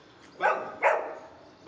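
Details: During speak training, a Golden Retriever lets out two quick, loud barks in close succession, less than half a second apart, with quiet background.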